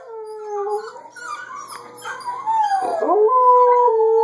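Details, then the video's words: Domestic dogs, a Border Collie puppy, an adult Border Collie and an Alaskan Malamute, howling together indoors on 3-15-13; long wavering tonal howls sliding up and down, overlapping voices rising toward the end. "Dogs and puppy howling"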